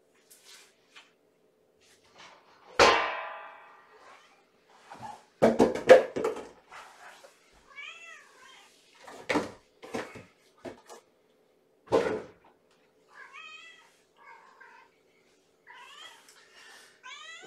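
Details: Hungry kitten at bedtime feeding, a little girl from Mama Gamora's litter of five foster kittens, waiting by the kennel door: several short, high, bent meows in the second half, mixed with loud knocks, clatter and handling noises.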